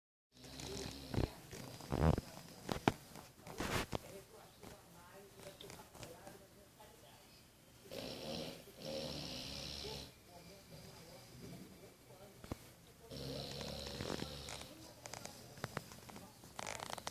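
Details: English Bulldog snoring, a low rough rasping breath sound repeating roughly every second or so, with soft rumbling and some louder stretches, against indoor background noise and a few clicks.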